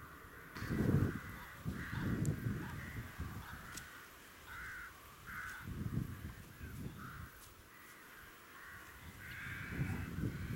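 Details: Red deer at Westleton Heath, filmed 16 October 2018, giving deep, rough groaning roars in irregular bursts, with harsher higher calls between.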